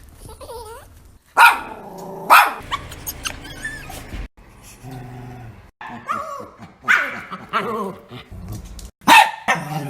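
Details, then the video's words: Pet dogs making odd noises: a jumble of short sharp barks, low growls and whiny, wavering vocal sounds, indoors with pauses between bursts. "My Dogs' Weird Noises"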